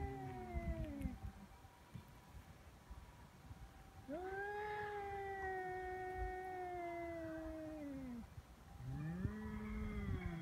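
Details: Feral cats squaring off on Cat Day, February 22, threatening before a fight: a low, long, steady moaning growl held about four seconds, then falling, with another rising yowl starting, over background noise.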